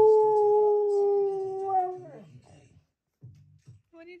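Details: Siberian Husky named Key, angry at his owner for talking over him, 'singing' indoors: one long steady howl-like note with strong overtones held about two seconds, then sliding down and fading into soft grumbles, a brief higher tone at the end.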